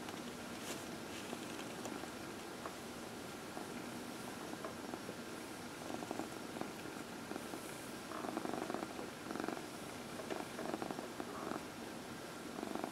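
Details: A 14-year-old cat named Dinah purrs through her evening massage on a lap, a low continuous vibrating purr that grows louder and more pulsed in the second half, quiet indoor setting.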